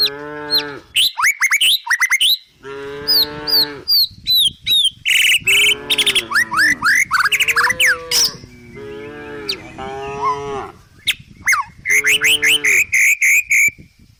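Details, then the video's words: Tame village cows walking down a country hill while foraging in a forest give frequent moos. The moos are short, nasal and wavering, and some are rising. Loud, chirpy, sweeping bird calls mix in throughout. "the sound of cute, tame village cows walking down the country hill!!"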